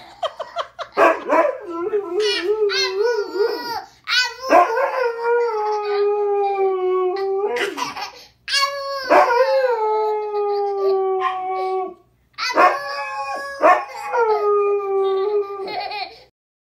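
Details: Dog howling back as a boy talks to it, a series of drawn-out howls each rising sharply then gliding down to a held, steady tone, about five bouts with brief gaps, laughter-like voices briefly audible.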